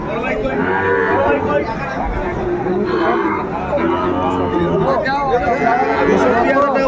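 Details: Lowing of Sahiwal bull calves for sale at Ambari market in Faridpur, Bangladesh, 29 April 2024. Long, curved moos swell and fade in two or three bursts while market crowd talk continues underneath.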